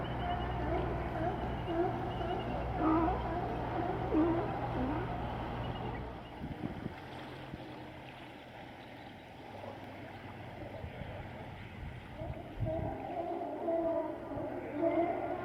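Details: Sea lions out of water on Vancouver Island, Canada, give hoarse barking and moaning calls over a low steady rumble.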